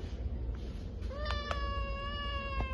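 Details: A nervous street-born male Domestic Shorthair cat awaiting adoption gives a long, steady, clear meow lasting well over a second, over a low background rumble, with a woman speaking gently just before.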